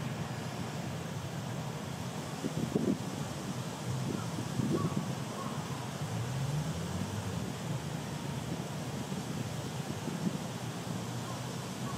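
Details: Steady wind and low traffic rumble with faint, indistinct voices; no animal calls stand out.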